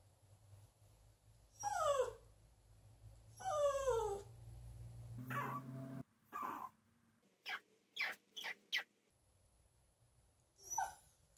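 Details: Poochin, a Poodle-Japanese Chin mix aged two years three months and weighing 14 lbs, howling, recorded 1 March 2021; two drawn-out falling wavering howls, then a rough burst, a lower whine and a quick run of sharp yips in a quiet room.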